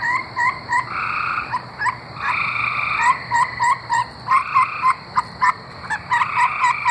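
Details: Tree frogs from Arkansas singing: sharp short clicking notes mixed with longer buzzy trills, several frogs overlapping in a busy, rapid chorus.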